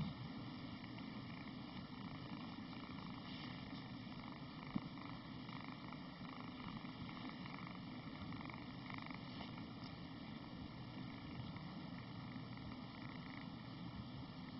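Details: Domestic cat at play, giving a steady, low rumbling purr that runs unbroken throughout, with a single faint click partway through.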